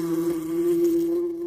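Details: Fly giving a continuous, even buzz, a low steady drone with a faint rise and fall, lasting the whole clip.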